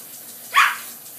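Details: One quick yelping bark from Border Collie puppies at play in the sprinklers, sharp onset and fast fade, with soft water hiss behind it.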